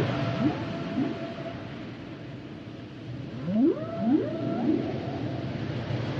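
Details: Humpback whale song: rising swooping moans near the low range, repeated in short units, with a steady faint tone above and a muffled underwater background.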